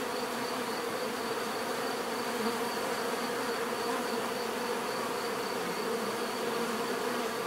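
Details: Bees produce a constant, thick buzzing drone, unbroken and uniform in loudness, with a faint higher whine running steadily above the hum.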